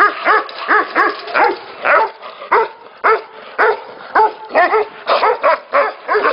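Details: Tibetan Mastiffs barking at a Tibetan mastiff factory, loud, tonal, arched barks about once a second, sometimes doubled, over a steady background of more dogs barking.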